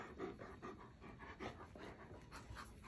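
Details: Alaskan Malamute Tonka begging for food at breakfast beside a baby girl, sharing the table with a husky; steady rhythmic panting breaths repeated about every quarter second, with a woman's voice softly offering food nearby.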